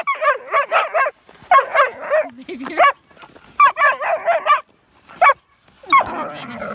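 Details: German Shepherd puppies romping in the snow as it is shoveled, trading rapid harsh play barks and yaps in clustered runs, a short low growl between, ending in a rough, noisy snarl.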